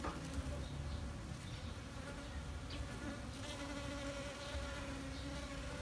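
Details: Dense, steady hum of honey bees recorded with a D610 full-frame camera, a constant low buzzing tone with faint higher harmonics and light crackling over about six seconds.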